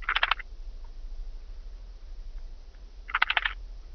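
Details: Blue-winged grasshopper, Oedipoda caerulescens, at Mörnsheim, Germany, on 14 July 2023: two brief, dry scraping bursts of song about three seconds apart, each a rapid crackling rasp, with quiet background hum between.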